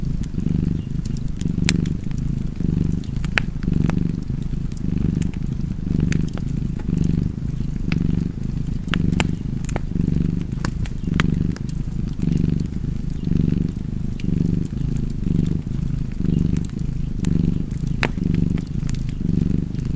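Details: Continuous low purring of a pet cat in a fireside setting, a rumbling hum pulsing in regular inhale-exhale waves, overlaid with frequent small crackles from the fire.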